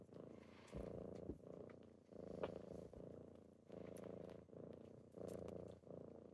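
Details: Kittens purring on a typical morning as they wake someone up: steady rumbling purr in breath-paced bursts, each inhale and exhale roughly a second long, with small clicks and rustles between.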